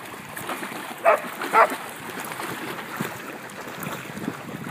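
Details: A Poodle barking as it chases Okami: two short, sharp barks about half a second apart, set against a steady rushing background hiss.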